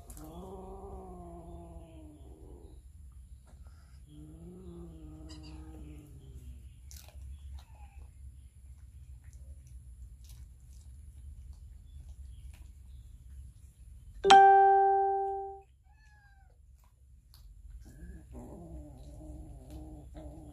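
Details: Hungry cats and kittens feeding on raw fish, recorded with a Samsung Galaxy S9 Plus. Three long, sliding, moaning cries are spaced across a quiet stretch, broken by a single loud metallic ring that fades slowly.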